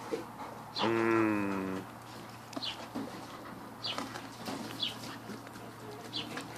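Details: Kuda, a pet husky/wolf mix indoors with his watermelon, lets out a single steady, drawn-out, moan-like call of about one second. Quieter scattered chewing and rustling sounds come before and after.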